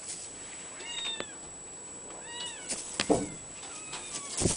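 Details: Mikitiko, an Abyssinian kitten, lets out a few drawn-out, high mews, each bending up and gently down, followed by sharp clicks and bumps of movement near the end.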